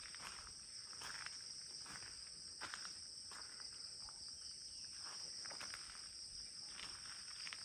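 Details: Crickets the only sound in an otherwise silent setting by the bungalows of the CRP in Kulaura: a continuous, high, metallic shrill drone, broken by scattered footstep-like taps and rustles.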